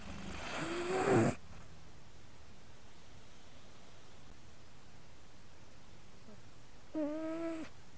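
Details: Cougs, a domestic cat, asleep with a microphone placed on his chest, snoring and purring: a loud, harmonic, sighing snore near the start and another softer tonal breath near the end, with quiet low rumbling between them.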